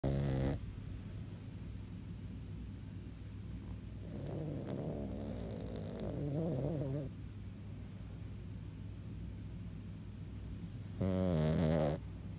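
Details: A French Bulldog snores in deep, rattling, low-pitched breaths with quiet pauses between them.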